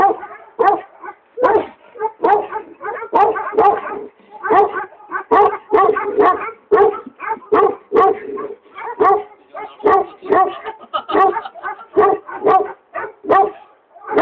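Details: Tibetan Mastiff, a native mastiff from Maqu in Gansu, barking in a long, loose series of deep, full barks, roughly one every two seconds, some doubled, with short pauses between bursts and no other clear sounds.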